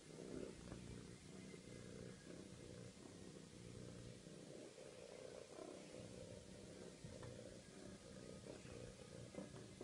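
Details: Domestic male cat purring after castration surgery at a veterinary practice in Wimbledon while a nurse gives him attention; a quiet, steady, low rumbling purr runs continuously with gentle pulsing, under a faint background hum.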